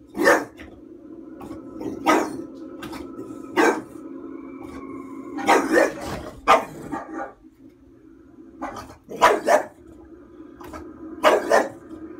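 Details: A female bulldog indoors, reacting while watching a horror film on screen: short sharp barks and yaps in bursts, several spaced over a dozen seconds with pauses between, over faint film soundtrack tones.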